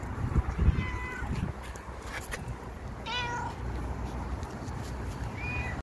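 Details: Tuxedo cat meowing: three short, clear meows spread over about five seconds, the middle one sliding downward and the last one higher and thinner, with rustling and soft knocking sounds near the start.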